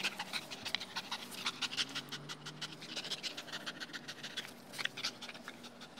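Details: Two-year-old male Dogo Argentino, tired and happy after a few minutes of playing with a new Tether Tug toy, panting in quick rhythmic breathy bursts, about four to five per second, with a low steady hum beneath.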